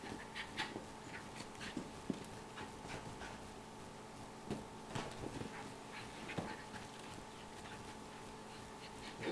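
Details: Moxie, a female Miniature Schnauzer, entertaining herself at home, pants in soft, breathy, noisy bursts at an uneven pace over a low steady background hum.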